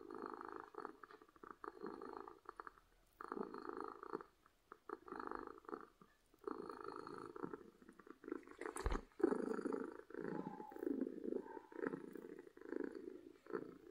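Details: Domestic cat purring from happiness, loud rumbling purr in repeated phases of about a second, pausing briefly between breaths, with a single sharp knock partway through.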